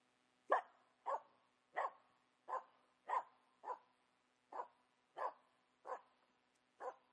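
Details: Finnish Spitz female barking at a squirrel she found in a quiet spring forest; ten evenly spaced, sharp single barks, about one every 0.7 seconds, with near silence between them.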